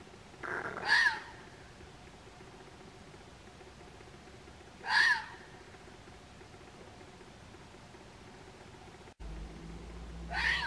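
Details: Red fox calling in Waterloo, Belgium: short, harsh, hoarse cries, each with a quick rise and fall in pitch, given about every four seconds, three in all, over a quiet background.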